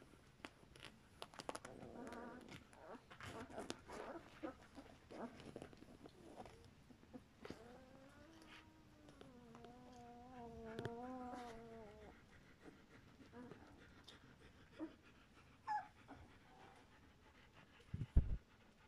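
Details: German Shepherd litter aged two weeks: rustling and faint squeaks early, then a long, low wavering whine with stacked harmonics lasting about four seconds, followed by brief squeals and handling knocks near the end.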